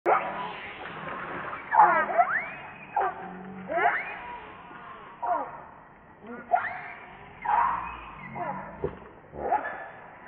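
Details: Baby monkey Rainbow crying for milk while its mother refuses to nurse; repeated high, wavering cries sweeping up and down, in bursts about every one to two seconds, with rustling between.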